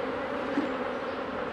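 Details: Honey bees humming as a beekeeper works through the hives, an even, tonal drone with no breaks, sustained across the whole moment.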